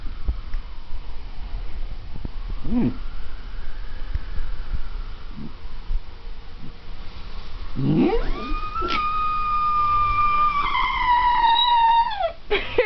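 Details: Chinese Shar-Pei, an adopted female, imitating an ambulance siren at home; soft noises and a brief rising yelp, then a long steady howl that slides slightly downward before cutting off, with a person speaking encouragingly.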